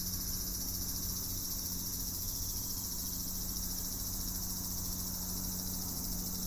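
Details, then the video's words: Cicada song as an even, piercing high drone of overlapping buzzing layers that never pauses, accompanied by a constant low hum and mild background rumble. "蝉の鳴き声 cicada sound of insects"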